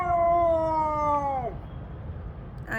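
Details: Pet Siberian Husky howling in protest at the weather: a steady harmonic wail held about one and a half seconds, then dropping sharply at the end, followed by quiet room noise and a brief human sound.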